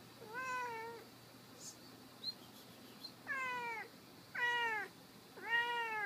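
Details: Indoor cat climbing an office table, sounding like a crying baby: four drawn-out harmonic meows, each about half a second and falling in pitch at the end, separated by pauses with faint clicks.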